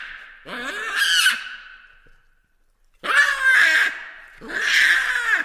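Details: A baboon gives loud, harsh, screaming calls with arching harmonics. One drawn-out cry is followed by a pause, then two more strained bursts close together.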